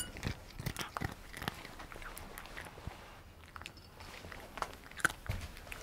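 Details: Indoor domestic cat eating Dreamies cheese-flavoured dry treats; sharp irregular crunches and biting clicks, some doubled, spaced a fraction of a second apart with a quieter pause midway, in a quiet small room.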